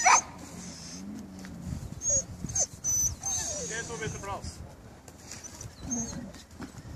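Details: Male dogs at a dog show at Førde Camping, 28 April: thin, high whining tones and short whimpers come in brief bursts, with people talking nearby throughout.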